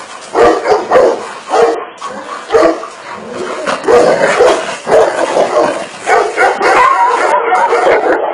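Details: Tibetan Mastiff letting out loud, separated barks, each followed by a brief drawn-out whine, the bursts coming at irregular gaps of about a second, louder toward the end, with hiss underneath.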